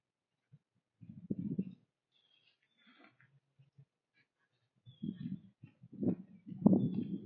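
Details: Whitetail doe and fawn eating a pile of corn on a trail in fall woods at sunrise; low crunchy chewing bursts in two main runs, separated by near-quiet, with faint high bird chirps above.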